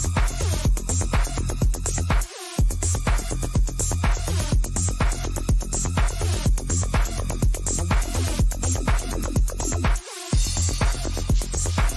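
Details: Pulsing electronic dance music with a steady beat fills the whole stretch, with no animal sound heard.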